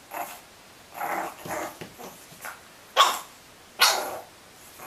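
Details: Pug puppies in a playful compilation, giving short high yapping barks in irregular bursts, two sharper louder yips near the end, with quiet room noise between.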